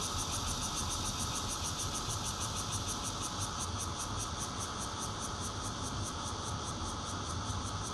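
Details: Fourth-floor home recording in Zhongli, Taiwan, 16 June 2013, Nokia Lumia 820 phone: bear cicada giving its intermittent song, a continuous shrill buzz broken into quick even pulses high up, with a background rumble of traffic.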